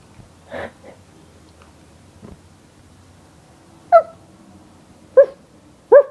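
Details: Siberian Husky named Yorga greeting its owner in bed in the morning: after a quiet stretch, three short whiny yips with clear harmonics come about a second apart, set against faint indoor rustling.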